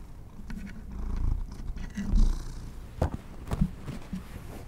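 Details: Pet cat given treats, a low steady purr rumbling underneath with a few sharp clicks and soft knocks near the three- and three-and-a-half-second marks, no voices.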